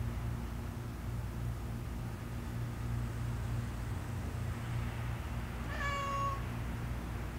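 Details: Cat strolling around outdoor cat condos during a long morning walk; after several quiet seconds comes a single short, flat, level meow with bright overtones, set over a constant low hum.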